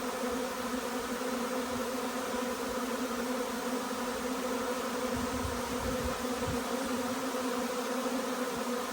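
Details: Steady roar of a honey bee swarm as it arrives, many bees humming together in a thick, unbroken buzz, with scattered soft low rumbles toward the middle.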